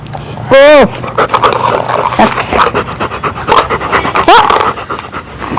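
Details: A pet Labrador Retriever panting in quick breathy bursts. A loud whine-like tone rises and falls near the start and another near the end. A person calls to the dog in Malayalam.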